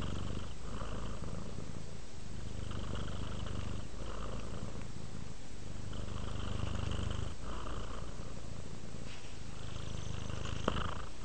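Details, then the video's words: Relaxed pet cat purring continuously, a deep vibrating hum pulsing with its breathing about every two seconds, with a faint click near the end. "Purring Cat Relaxes"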